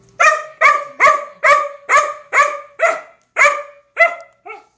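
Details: Female puppy just back from the groomer, clean and fluffed, barking steadily in a chatty stream: about ten bright, evenly spaced barks roughly every half second, the last ones shorter and softer.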